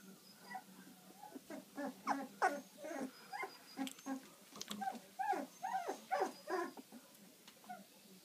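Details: Labrador Retriever puppy whimpering and yipping indoors: quick squeaky, rising-and-falling notes run together in uneven bursts, roughly three a second, some louder yelps mid-clip, against a quiet room hush.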